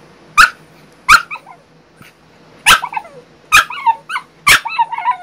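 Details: French Bulldog named Bailey, ten days after back surgery, vocalizing her dislike of being kept in a crate on strict rest: sharp barks repeated roughly every second, each trailing into wavering whiny yelps and whimpers.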